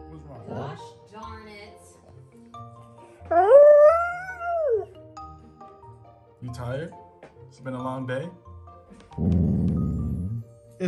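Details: A tired German Shorthaired Pointer throws a vocal tantrum indoors after a visit to the dog park: one long whining howl rising then falling over about a second and a half, surrounded by a woman talking to the dog.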